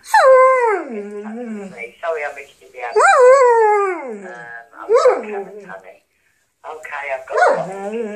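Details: Domestic dog talking back to answerphone messages with a string of yowling, sliding howl-like sounds, each swooping up then down, broken by brief gaps, with answerphone speech mixed in.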